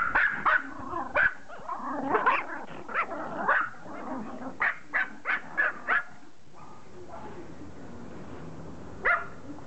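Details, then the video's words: Pomeranian dog begging to play catch, barking in quick sharp yaps, about a dozen bunched over the first six seconds with a faint whine between, then a pause and one final bark near the end. "POMERANIAN begging to play CATCH"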